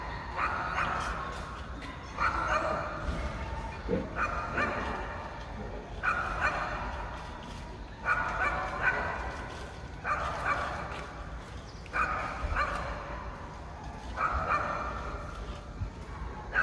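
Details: Apartment pet dog, left home alone for half a day (three hours), keeps barking in short clustered bursts about every two seconds, some yelping notes mixed in, sounding muffled as if through walls, with constant low rumbling noise underneath.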